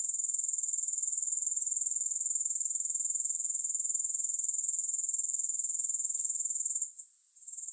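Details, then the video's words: Grasshopper chorus without music: a shrill, unbroken high-pitched trill of rapid even pulses holding steady for nearly seven seconds before a sudden short hush, after which the buzzing returns. "Grass Hopper Sounds"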